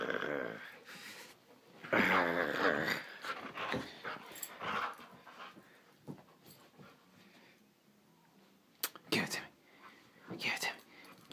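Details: Norwegian Elkhound at play while a person asks it to give something back; throaty growls and grumbling vocalizations rise and fall in several bursts, with some clicks and handling noises.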